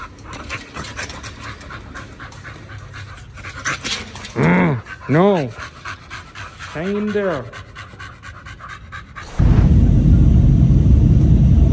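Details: Dogs Oliang and Nomyen at a dog hotel, eating a raw picnic set of chicken and pork, give three arching, whining calls with stacked harmonics over soft panting. Loud close crunching and chewing follow near the end.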